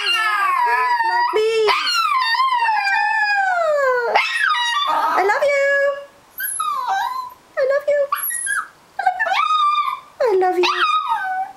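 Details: Dog singing on a bed while having fun with packaging: long wavering howls fall steadily in pitch, then break into short, choppy yips and whines separated by brief pauses.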